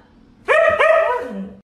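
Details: Siberian Husky puppy talking to its owners: a short, drawn-out vocal whine with rich harmonics that wavers and slides for about a second, then a brief second yelp at the end; quiet room otherwise.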